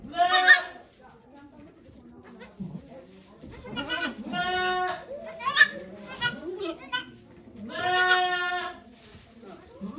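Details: Goat Okayu in labour at Yoshigake goat farm, Japan, 3 May 2023, delivering two kids while volunteers watch; strained, quavering bleats rise and fall over several seconds, mixed with quiet human talk and murmuring.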